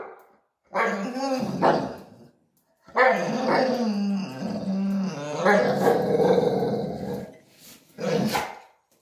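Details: Tiny Chihuahua and big Pitbull at the dog bowls, the small dog bullying the larger one: low, rough growls in long rumbling bursts separated by short pauses, with a person's teasing voice over them.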